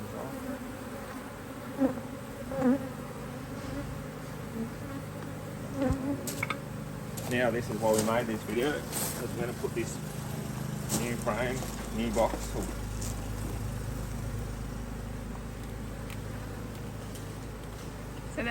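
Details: Honey bee colony humming as its Hive IQ hive in Australia is opened to fit another box, almost mid-autumn 2023, bees busy in beautiful weather. A continuous deep buzzing drone, broken midway by human voices and sharp knocks from working the hive.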